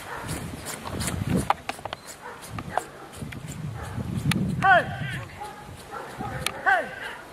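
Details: Rottweiler during an IPO3 trial at the Rottweiler Club Italiano in Rome, 18 November 2012: two sharp, ringing barks about two seconds apart, heard over steady talking from people nearby, with some clattering.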